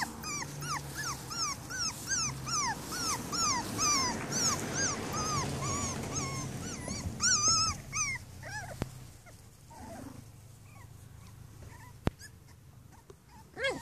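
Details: Five-week-old Cavalier King Charles Spaniel puppies whine and yip in quick, high, overlapping arcs; finding: Cavalier King Charles Spaniel (puppies).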